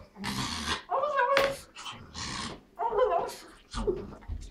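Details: An excited female Pekingese, about to go for a walk, makes warbling, turkey-like gobbling yodels in short wavering bursts, with a person talking between them.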